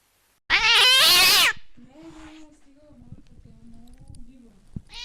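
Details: Cat voice used to scare off rats: one loud, bright, high meow lasting about a second, then a quieter low droning sound and faint background noise, with a short burst at the end.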